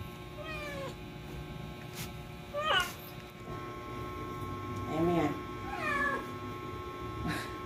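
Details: Kikiray, a pet cat in her first labour: soft, plaintive meows, a few short ones with long gaps, under low Filipino chatter and faint music in a quiet room.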